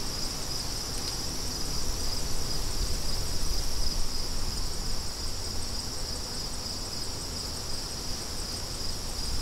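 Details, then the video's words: A continuous, high, trilling cricket chorus rings steadily throughout, its fast pulses set against heavy, gusty wind roaring low beneath. "Crickets & Wind"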